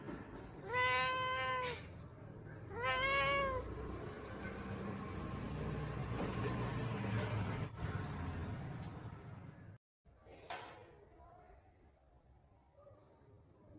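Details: Two loud, strained meows about two seconds apart from Lily, an angry house cat in a home garden, followed by steady low outdoor noise and a faint, brief sound after a short drop-out.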